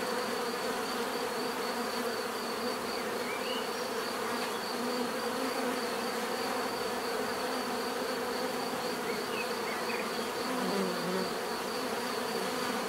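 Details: Bees give a steady, dense buzzing hum, a natural swarm drone with layered tones and a thin high whine running throughout; no other clear sounds.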